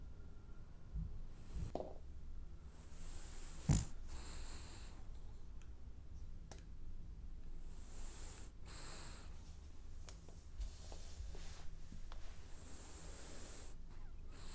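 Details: Dreaming French Bulldog asleep and snoring: low rumbling breaths with hissing, slightly whistled inhalations recurring every few seconds, one sharp snort-like click early on, otherwise a quiet indoor setting.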